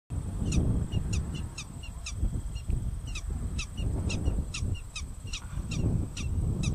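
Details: A prairie dog wags its tail while giving sharp, high chirps repeated about twice a second over low wind rumble.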